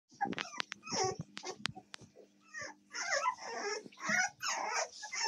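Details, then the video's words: American Staffordshire Terrier puppies recorded on 7 May 2024: several puppies give high squeaky yips and whining calls in busy overlapping bursts, over a steady low electrical hum. "щенки американского стаффордширского терьера"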